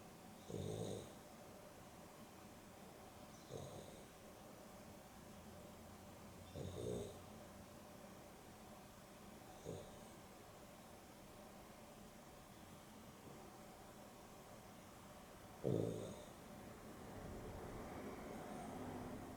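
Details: Dexter and Rio, a Boston Terrier and a Beagle cross, snoring through an afternoon nap: five short rough snorts, roughly every three seconds but uneven, over a steady low room hum.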